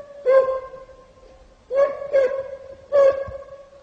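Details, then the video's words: Kopay hound baying while hunting hare in snow. There are four short, ringing bays at a steady pitch: one, a pause, then a quick pair, then one more. Each bay echoes briefly against a quiet background. "Kopoyla karda tavşan avı Kopay sesi dinlemek isteyenlere"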